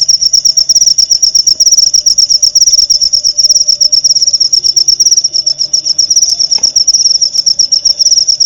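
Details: Cricket chirping, a clear masteran recording for training white-rumped shamas to copy: continuous fast high-pitched pulsing with slight rhythmic swells, a faint steady mid tone and a brief click near the end.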